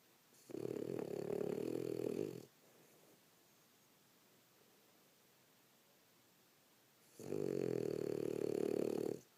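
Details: Female French Bulldog snoring indoors after a rough day of play: two long, loud rasping snores, each about two seconds, separated by a quiet pause of several seconds in a small room.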